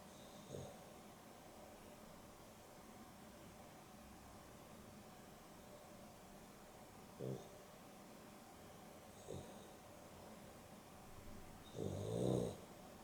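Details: Dexter and Rio, a Boston Terrier and a Beagle cross, asleep in an afternoon nap; soft, scattered snorts and breaths, ending in a louder rasping snore near the close, with a faint background hum.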